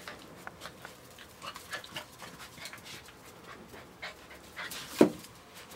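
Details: Litter of AKC Standard Poodle puppies about seven weeks old, panting: quick breathy bursts following one another in an uneven rhythm, with a sharp knock near the end.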